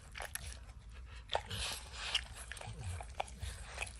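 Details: Max, a dog with a strong love of licking, laps peanut butter and kibble stuck in an orange lick mat: irregular wet smacks and tongue clicks, with occasional soft crunches of kibble, close and quiet, no talking.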